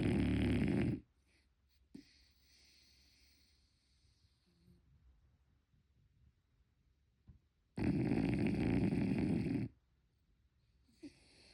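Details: Unedited snoring of Motchi, a sleeping French Bulldog puppy: a loud gravelly snore, then a long quiet stretch with faint breaths and small clicks, then another long rumbling snore around seven seconds later.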